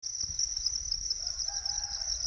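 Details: Natural cricket chorus: a steady, unbroken high-pitched shrill trill holding one pitch throughout, with a faint low tonal call, possibly a distant rooster, surfacing in the second half.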